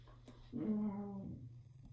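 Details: Siberian Husky vocalising in what seems like conversation with another husky indoors: a single drawn-out, moaning howl-like note of about 0.8 seconds, steady then dropping slightly at the end, over a low steady room hum.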